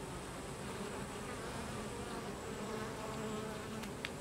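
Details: A steady, dense hum of many Carniolan honey bees (Apis mellifera carnica) buzzing together at the hive during the expulsion of drones.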